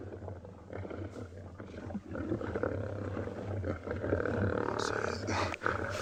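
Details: Two dominant male lions (Panthera leo) roar in deep rumbles at a fresh buffalo carcass on a morning safari in South Africa, 18 July, showing dominance and driving a young male away, with a person talking quietly.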